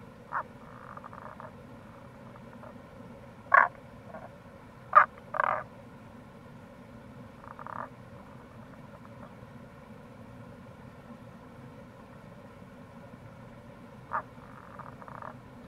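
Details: April recording of Rana tagoi by a Kamo River gorge in Itoshima, Fukuoka, Japan: clustered abrupt croaks and short rattling pulse bursts around four to six seconds, then sparser faint calls, with an unbroken low rushing background.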